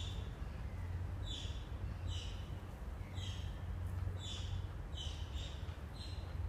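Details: Oriental small-clawed otters at Copenhagen Zoo, recorded 17 November 2016 while building a nest: short, high, squeaky chirps come roughly once a second, about seven in all, over a steady low mechanical hum.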